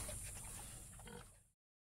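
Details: Pigs grunting in a sty, with low, rough snorts and grunts running together for a second and a half.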